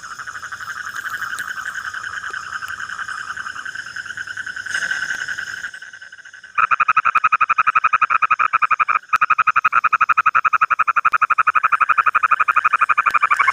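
A frog gives a steady, nasal ringing call that turns into a fast, even, pulsing trill.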